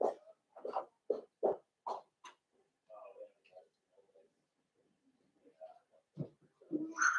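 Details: Blenheim Cavalier King Charles Spaniel puppies from a litter of five born at New Year's, in an indoor puppy pen, giving a quick run of short, rough whining yelps, then scattered softer whimpers and squeaks.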